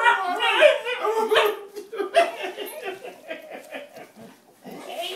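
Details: Eko the basenji, happy to see his owner home after a week, greets him with wavering, yodel-like whines and warbles that rise and fall in quick bursts instead of barking.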